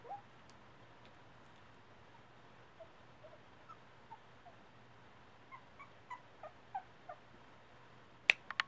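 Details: Havanese puppies, a litter about four weeks old at Bumblebee Acres Farm, just starting to explore. Soft high squeaks and whimpers are scattered, then come in a quicker run. A faint steady hum runs underneath, and sharp clacks sound at the end.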